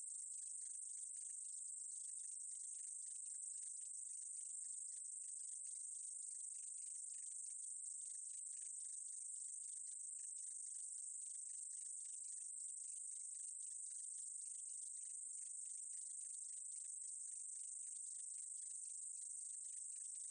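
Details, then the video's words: A meadow katydid, recorded in 2020 by the National Institute of Biological Resources, sustains a thin, high, even hiss for the whole stretch, with quick crackling pulses below it and nothing else audible. "쌕쌔기, 여러번 듣기, 곤충소리"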